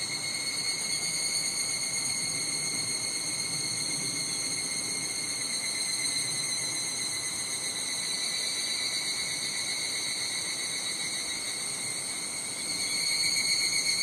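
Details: Summer chorus of higurashi cicadas at Nishigo, Fukushima, Japan. Layered high ringing bands hold steady throughout and swell louder near the end, with soft wind noise low underneath.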